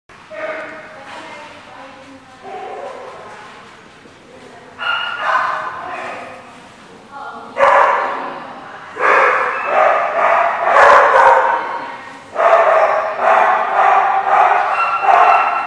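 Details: Dogs at The Barking Lot, recorded 21 July 2014, giving bursts of rough, harsh barks that grow louder and denser in the second half, with voices mixed in.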